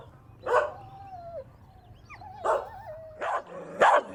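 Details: Puppies compete with their mother dog for a favourite toy outdoors. A few separate barks are each followed by a drawn-out, gliding whine, and the last barks come louder and closer together.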